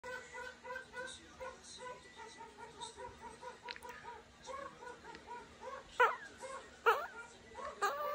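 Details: A pet meerkat just woken up, yawning, gives a steady stream of soft, nasal chirps, broken by a few louder squeaky calls.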